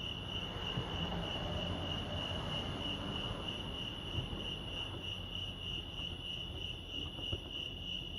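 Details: Lake Arrowhead crickets in California keep up a constant shrill pulsing chirp, while a deeper rumbling, rolling noise swells and fades beneath them with a few faint knocks.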